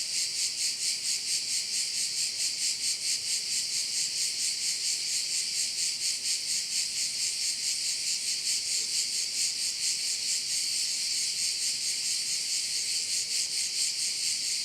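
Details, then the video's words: Chorus of crickets by a bay on Korčula in Croatia, a continuous high, sizzling drone that throbs in regular pulses roughly twice a second, with no other sounds breaking through. "with sounds of crickets"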